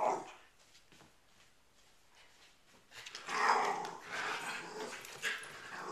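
A corgi gives a brief bark, then after a pause a rough, drawn-out growling vocalization.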